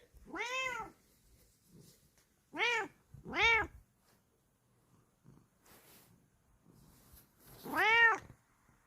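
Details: Bengal cat answering when called by name indoors: four loud, clear, arching meows, the first long and drawn out, then two short ones close together near three seconds, and a final strong meow after a pause, with faint rustling between.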